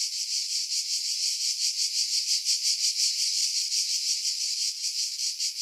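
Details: Pine-dwelling cicadas on Skiros Island, Greece, July 2018, about 50 m above the sea at Pefkos Bay; shrill sizzling buzz throbbing in regular pulses about three per second, continuous throughout.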